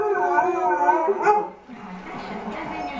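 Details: Pet dog singing, a habit it shares with other dogs: a steady harmonic howl with wavering tones for about a second and a half, then fading into softer, rougher voicing.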